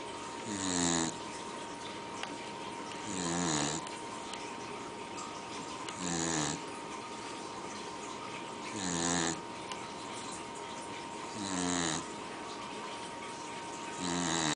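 A Pembroke Welsh corgi makes deep, rasping, grunt-like snores about every three seconds.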